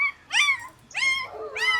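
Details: German Shepherd Dog puppies giving three high, thin whining yelps in under two seconds, each sliding upward then falling, in a quiet setting.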